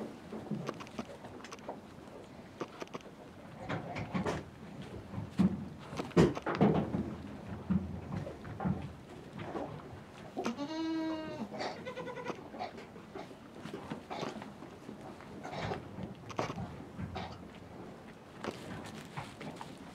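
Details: Miniature goat mother named Blue Pearl with her twin sons on a French farm, tender maternal moment; a single clear harmonic bleat near the middle, amid rustling, knocking and shuffling sounds in an enclosed space.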